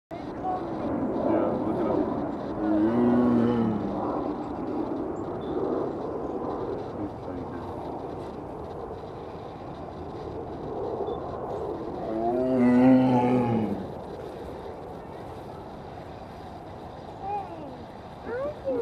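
A tiger gives two deep, moaning roars about ten seconds apart over a steady background rumble.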